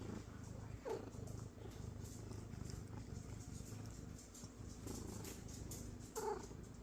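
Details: Happy pet cat vocalizing: two brief, quiet chirps several seconds apart over a steady low household hum.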